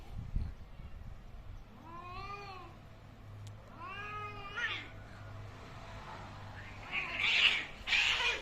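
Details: Angry cats fighting: two drawn-out wavering yowls rising and falling, then harsh noisy screeches and spits building toward the end, over a low steady hum.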